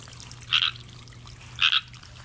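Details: A frog in a pond, thought to sound like a chorus tree frog, gives two short, high, raspy croaks about a second apart.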